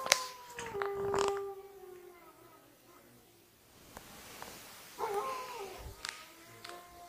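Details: Wolves at an Idaho wolf sanctuary howl. Long, smooth, sliding tones sustain and fall away, then a second howl rises near the end, with a few sharp knocks and clatters mixed in.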